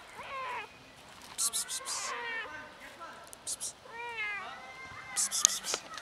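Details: Mother cat with two kittens in a safe garden: several clear, tonal meows that bend up and down, some drawn out and wavering, with short high clicks and rustles between them outdoors.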